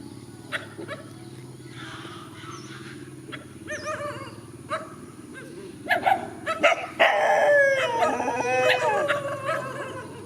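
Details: Countryside dogs face each other in a field. Quiet sharp yelps come first, then a louder burst of wavering, falling howl-like whines near the end, with low steady background hum throughout.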